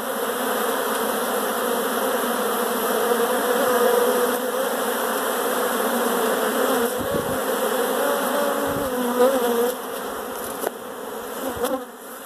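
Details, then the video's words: A crowd of honey bees indoors gives a continuous humming buzz with individual bees' pitch rising and falling, fading somewhat toward the end with a few soft clicks. "honey bees in my house!"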